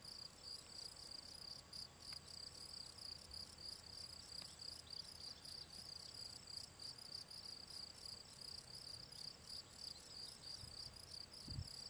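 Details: Shrill chirping of a field cricket, Gryllus campestris, at the Draga valley ponds on 18 June 2023, repeated roughly three times per second with clockwork regularity, a thin whining tone behind, and one low thud near the end.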